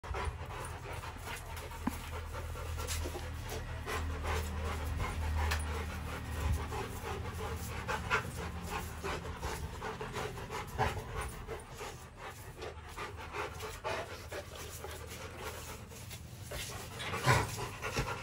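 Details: Rottweiler in a kennel, panting steadily with quick breathy huffs throughout, with a low background hum and a sharper noise near the end.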